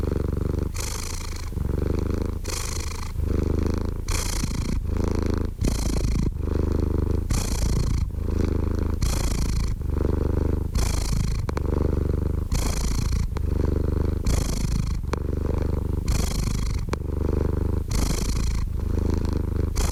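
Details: Steady cat purr for calm, focus and sleep: continuous deep vibrating drone, rhythmic breathing with brighter hissing exhales roughly every second, long unbroken stretch with no other noises.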